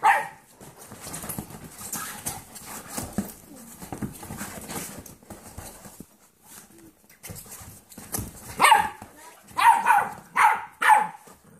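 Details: An 8-year-old foster dog named Kirby playing with 8-week-old motherless golden retriever mix foster puppies he has adopted; soft scuffling and murmurs early, then a run of short bright barks or yelps near the end.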